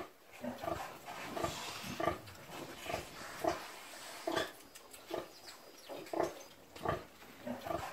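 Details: Backyard caipira domestic pig on a rural subsistence holding, uttering a steady run of brief, gruff grunts, roughly two per second, some doubled, over a light noisy background.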